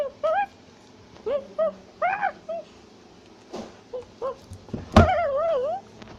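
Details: Tufted capuchin climbing in a tree in South America with shouting and chattering: short high yelps in scattered groups, a loud thump, then a long wavering whine.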